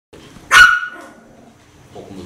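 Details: Gray chihuahua at a dog home, recorded 21 November 2012: a single sharp, high bark that breaks off quickly, followed by quiet shuffling and a soft low murmur near the end.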